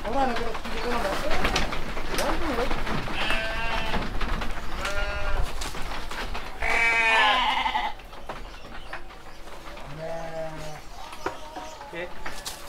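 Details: Seven-month-old rams at a sheep farm in Sidomulyo village, Kediri, Indonesia, give quavering bleats, one loud and strained, then a short low one, over steady talking and background rumble.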